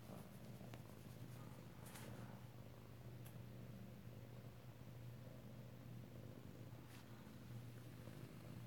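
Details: Indoor kittens in Alabama, recorded close-up on 2/7/18, keep up a long unbroken low purr, rhythmic and rumbling, with faint clicks and a talking voice in the room.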